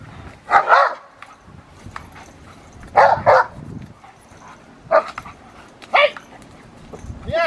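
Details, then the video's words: Rottweiler Magda vd Fehn Kolonie, BH, a female, during protection training: loud harsh barks in short bursts around half a second, then one, three, five and six seconds, and seven seconds, with a handler's voice in between. "Rottweiler protection"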